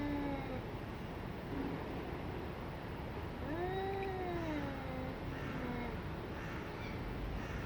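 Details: Two domestic cats in a fight give drawn-out, wavering yowls. One clear rising-then-falling howl stands out midway, with fainter moans around it over steady low background rumble.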